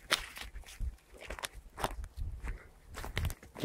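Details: Crunching footsteps outdoors in a forest clearing, with no animal calls audible.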